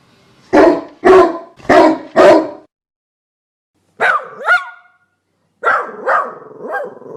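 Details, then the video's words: Dog giving four deep, rapid barks in a row, then after a pause higher yelping barks with rising whine-like tones. "Dog Barking Sounds"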